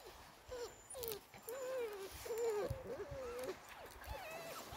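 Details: Springador puppies on their first outing in the woods, whining in a run of high, wavering whimpers that rise and fall, some long and drawn out, repeated over a few seconds with faint rustling underneath.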